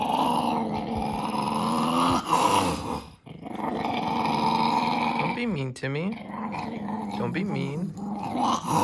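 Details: Male pet dog grumbling while being filmed: sustained low growls that shift into whiny, sweeping yowls near the end, recorded close up in a small room.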